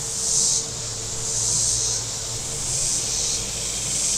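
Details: Cicadas calling along the shore of Table Rock Lake in southern Missouri during warm weather: loud, sizzling high buzz pulsing in roughly one-second swells, with a faint low rumble of boats beneath.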